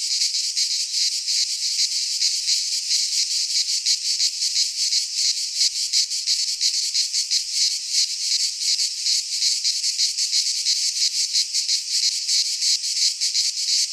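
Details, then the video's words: Cicadas in a Greek pine forest during midsummer, singing as a relentless high-pitched rattling buzz with fast flickering pulses, steady in loudness over the whole stretch, no other sounds present. "Cicadas singing in midsummer - Nature sounds from the Greek fauna - Sounds of cicadas"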